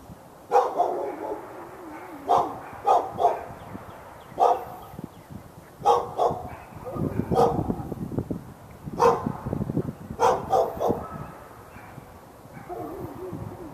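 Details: Backyard dog in Raleigh, North Carolina, on February 15, 2012, barking continuously at the dog next door: clustered bursts of two to three sharp barks separated by short pauses, over rough low rumbling background noise.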